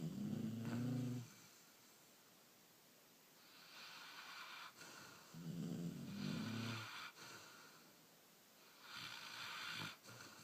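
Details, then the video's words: Puppies sleeping after a hard day: low throaty snores on the in-breath with hissing airy out-breaths, about two snore cycles every four seconds. "Snoring Puppies"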